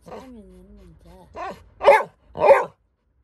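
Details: Labrador Retriever puppy crying because it is scared of something: a thin wavering whine followed by three sharper yelping cries, with faint speech in the background.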